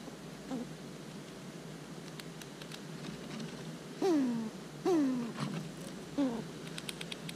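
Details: Eastern gray squirrels filmed close up while eating, fighting and talking; four short whining calls slide downward with stacked overtones, bunched in the second half, over faint ticking and clicking.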